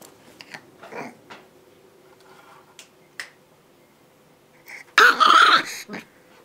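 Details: Eight-week-old Shiba Inu puppy barking to show who is boss while its young mother stays unbothered; faint short yips and clicks early on, then a loud, harsh, raspy bark with stacked overtones around five seconds, followed by a softer yip.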